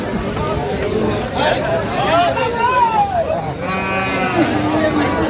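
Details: Friesian and crossbred bull calves at the Aftabganj cattle market in Dinajpur on 13 August 2025: one drawn-out moo rising then falling, then a shorter steady call, under men's constant bargaining chatter.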